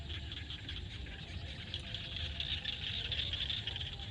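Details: Sunset in a Cambodian field with frogs calling, a fast, uneven stream of raspy pulses in a thick high band, growing louder toward the end above steady low background noise.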